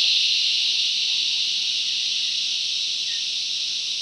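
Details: Bush cicadas singing together, a bright, continuous high whine that eases slightly in loudness across the stretch, with almost nothing else heard.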